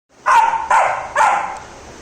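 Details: A male Labrador Retriever gives three loud, even barks, spaced about half a second apart.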